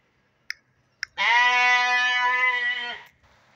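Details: Penned young sheep and fat-tailed dunba lambs released for exercise: after two sharp clicks comes one long, steady, strongly harmonic bleat of nearly two seconds, fading at its end.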